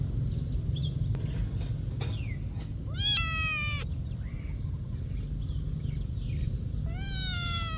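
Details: At a monastery, cats go about their day; two strong harmonic meows, one flat and sustained, one rising near the end, plus faint short chirp-like sounds and clicks over a low rumbling background.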